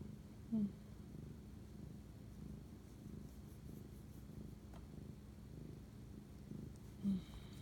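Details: Domestic cat purring at 11:07 pm on 25 March 2019 while bonding with its owner at night; a steady, low rumbling drone runs throughout, with two brief soft clicks near the start and end.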